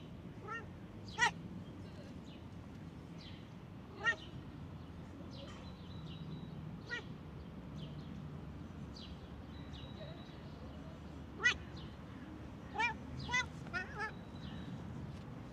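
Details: A stray cat in a park, which ran up like a dog, meows repeatedly: short, clear harmonic cries come a few seconds apart, with a quick cluster near the end. Birds chirp throughout over a steady outdoor hum.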